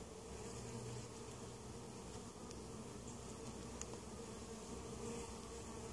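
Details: Honey bee hive at Mt. Perry, Ohio, weak colony after winter, opened for varroa mite treatment; softer, even hum of many bees, quieter and steady throughout with faint higher whines.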